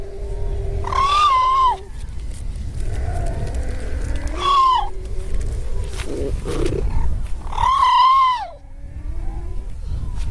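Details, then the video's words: Harp seal pup, white-coated, said to be looking for its mother, gives three wailing, baby-like cries that rise then fall, about one every three and a half seconds, over a low wind rumble. "Baby Snow White Seal Looking For her Mother"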